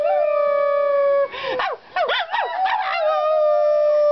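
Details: A domestic dog named Sheeba joins a woman in howling: a sustained even howl, then a burst of broken, warbling yelps, before settling back into a long steady held note.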